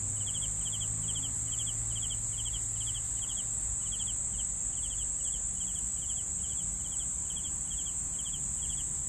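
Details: Cricket chirps in a regular run, each a quick triple-pulsed burst about every 0.4 seconds, set against a constant shrill hiss and low rumbling noise.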